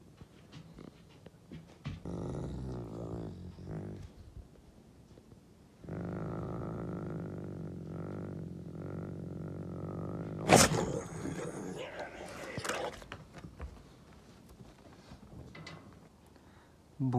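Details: A dominant male Canadian gray wolf, filmed on his birthday, 16 April, gives low, rough growl-roars in two sustained, harmonic-rich bursts, apparently guarding his food to show dominance; a sharp knock and a few human voice sounds follow.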